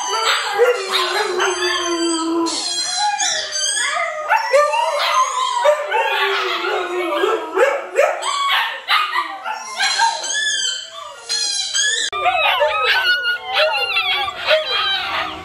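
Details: Group howl from Siberian Huskies Luna, Gizmo, Arya and puppies, with many wavering, sliding voices layered together and short yipping bursts mixed in, loud and unbroken for the whole stretch.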